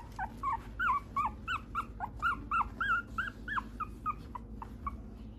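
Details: Mixed-breed dog at an Okayama breeder's home giving a fast run of short, high, whining yips, about eighteen rising-and-falling notes in five seconds with uneven spacing, over a low steady background hum.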